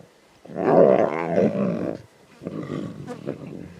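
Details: Young lions at a zebra carcass in the Timbavati, Kruger region, snarling intensely: one loud, harsh, throaty snarl lasting over a second, then a pause and a lower, broken growling.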